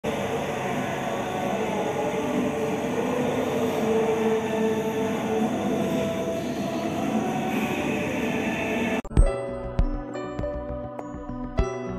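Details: Loud continuous rumbling mechanical noise like a passing train, abruptly giving way to plucked music after about nine seconds, no animal heard.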